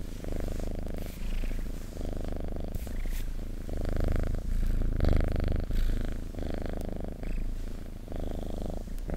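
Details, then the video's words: Domestic cat purring close up: a steady low rumbling throb that swells and fades in alternating phases roughly every second, with faint rustling above. "Purring Cat ASMR"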